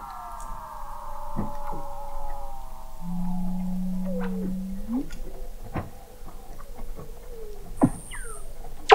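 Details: Under the sea ice in McMurdo Sound, Antarctica, Weddell seals were recorded in November 2017 from an observatory 21 m down: falling trills and sweeping whistles, a steady low hum-like tone, and scattered clicks.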